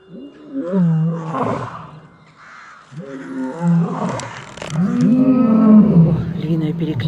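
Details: Evening roll call of lions at the Taigan park in Crimea: low groaning roars swell and fade, with human voices faintly mixed in.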